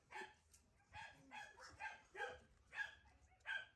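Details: Border Collie dogs at a kennel, yapping in short high-pitched barks, roughly two to three per second, with brief pauses between bursts; several puppies may be calling.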